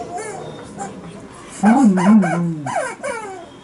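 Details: Liza, a female Alaskan Malamute, plays with her chicken toy on a bed indoors. Short rising and falling whiny vocal sounds, a louder wavering moan in the middle, and then several quick bent yelps.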